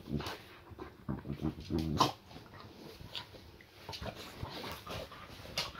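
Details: Boxer Layla indoors during a playful welcome-home tussle with her owner; low harmonic growling around the first two seconds, then scuffling, clicks and quieter breathing.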